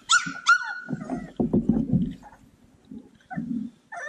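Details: Playful Cane Corso puppies: two sharp high yips rise into a thin whining tone, followed by low rough growly grunts and scuffling as the pups play.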